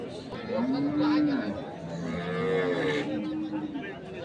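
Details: Dairy cows with calves, Sahiwal, Sindhi and local breeds, at Ambari livestock market in Parbatipur, Dinajpur, Bangladesh; two drawn-out tonal moos, the first steady and low, the second higher and arching, over crowd chatter.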